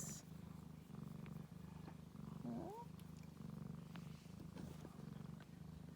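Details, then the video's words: Ragdoll kittens with their mother kept warm on a heat mat on cold days and nights; steady low rhythmic purring throughout, with one short rising mew midway and faint speech. "Cute Ragdoll kittens and mum"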